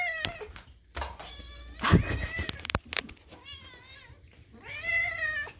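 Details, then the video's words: Kitten Moo or Daisy, a pet cat adopted from a rescue, screaming at food time while indoors; several harmonic meows, some rising and wavering, between knocks and bumps, with a person talking and music in the background. "kitten rudely screams, but sister is politely quiet (food time with Daisy and Moo)"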